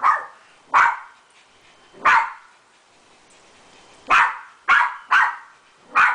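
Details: Beagle dog barking on meeting a poodle friend: six loud, sharp barks at irregular intervals, some in quick pairs, with a quiet background between.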